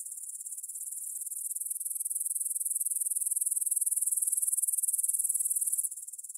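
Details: Stridulating grasshoppers in an evening meadow beside the Svensky monastery, Bryansk, Russia, 6 September 2020 at 9pm, Tascam DR-44WL: rhythmic high pulsed buzzing that builds steadily, then softens abruptly near the end.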